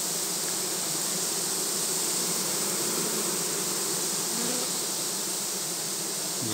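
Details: On 7 February 2020, a honey bee colony made queenless moments earlier gives a loud, continuous roar of buzzing. The hum is even and broad, with faint flickering pulses within it and a brief knock at the end.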